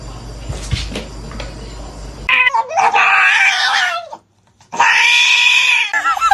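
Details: Domestic cat yowling: after a quiet start, two loud, drawn-out wailing meows, the second following a brief pause, ending in shorter broken cries.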